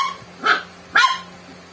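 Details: Pet dog Joey, who has swimmer syndrome, barks twice in quick succession when faced with Coke, each bark short and sharp, half a second apart.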